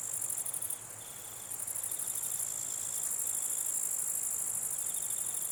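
A dense, high-pitched insect buzz of grasshoppers, with fainter pulsed trills repeating underneath.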